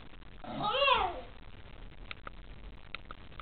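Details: Kuma, a Shiba Inu dog, yawning while waking up and stretching in the morning indoors: one short vocal yawn that rises then falls in pitch over about a second, followed by quiet room noise with a few faint clicks.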